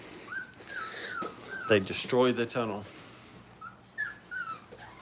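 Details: Brittany puppies during crate training at a kennel whimper with high, thin, wavering whines that fall in pitch, in two bursts around a short stretch of human speech in a small indoor room.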